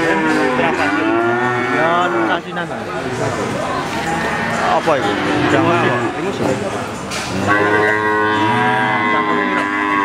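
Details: Crossbred Simmental calf calling with a series of overlapping moos. The moos waver and rise and fall in pitch, with nearly continuous bellowing and faint background noise.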